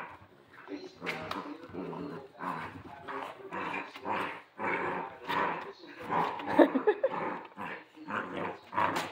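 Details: Central Asian Shepherd puppies (alabai) named Queen, Raven and Zefir; rough growls and gruff bark-like bursts come in quick pulses about every half second, with a person talking in between.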